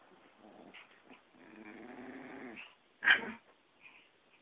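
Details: Two friends' dogs, a Yorkie and a Pomeranian, fighting; low rumbling growls with a sustained snarl through the middle, then a sharp loud yelp near the end and small yips.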